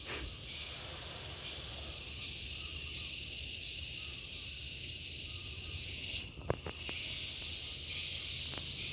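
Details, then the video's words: Gareng pung cicada giving a continuous shrill, hissing drone with a thin whistled tone inside it. The note shifts and briefly dips near the end, where a few sharp knocks are heard. "SPECIAL SOUND IN GARENG PUNG"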